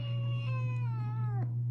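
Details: Smoke, a male Russian Blue kitten, a busy and very vocal pet, gives one drawn-out meow that slowly falls in pitch, lasting about one and a half seconds, over a steady low electrical hum.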